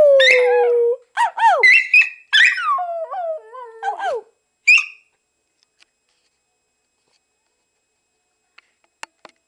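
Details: Schipperke howling with its owner: a few wavering, sliding howls in quick bursts during the first four seconds, one short yelp after, then near silence with faint clicks.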